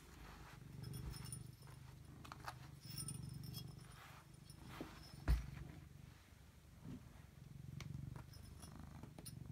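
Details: A domestic cat named Robbie Coltrane purring, recorded in 2018: a low, steady rumbling purr in long pulsing stretches with brief pauses between, plus a sharp click near the middle.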